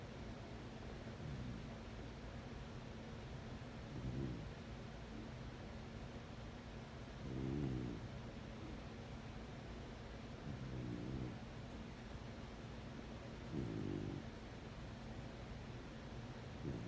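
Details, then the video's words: Sleeping corgi snoring: low, rasping, throaty snores about every three seconds, four clear ones and a fainter earlier one, over a steady low background hum. "Snoring Corgi"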